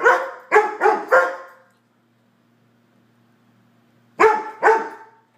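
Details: Standard Poodles give loud, deep, resonant barks with a sharp onset, four rapid woofs, then a pause and two more, as they warn off anyone arriving uninvited; a faint hum is heard in the gap.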